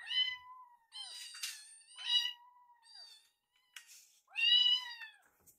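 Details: Rescued foster kittens at mealtime, one eyeing and sneaking another kitten's leftover food; loud, clear harmonic meows, drawn out and slightly falling, repeated at uneven intervals, with a few clicks between them.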